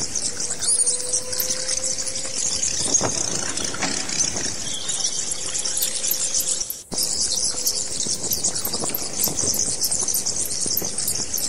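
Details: Many overlapping high squeaks and chitters from bats form an unbroken shrill chatter. A regular ticking of sharp clicks runs along the top, with a short cut near the middle and a low hum at times.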